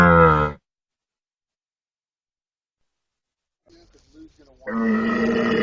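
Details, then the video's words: Camel giving a short, harsh grunt, then silence, a few faint low gurgles, and a louder rasping bellow at the end. "CAMEL SOUND EFFECT 낙타 울음소리"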